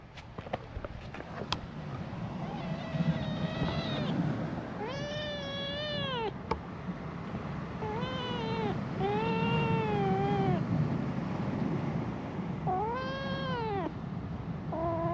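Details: Orange tabby kitten, a stray on a cat island, raised among gentle older male cats; about five clear arched meows, each rising then falling with rich harmonics, spaced by short pauses over a low steady background rumble.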